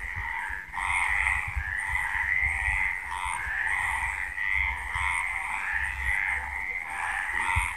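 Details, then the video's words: At night in Villa del Campo, Extremadura, frogs call in a dense, continuous chorus of buzzy, pulsing croaks that overlap without pause. "De noche cantan las Ranas"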